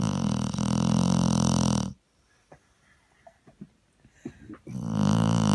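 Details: Springer spaniel sleeping on a sofa after a long walk gives deep, harsh, drawn-out snores, one fading after two seconds, then near silence with faint snuffles and clicks before the next rumbling snore begins.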